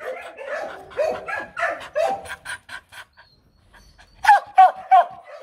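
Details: Female Mong Coc dog barking on demand, not aggressively; a string of hoarse, breathy barks that thin out and stop, then three loud clear yelps spaced about a third of a second apart.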